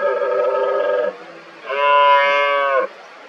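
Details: Red deer stags roar during the 2023 rut amid fighting and rivalry over hinds. Two steady, harmonic, bellowing roars follow each other: the first deeper and the second louder and slightly higher, each about a second long.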